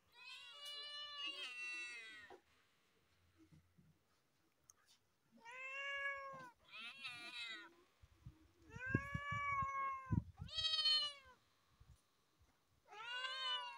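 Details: On top of a car, cats meow loudly, about six long, strident, wavering meows separated by pauses, with low knocking sounds and faint voices in the gaps.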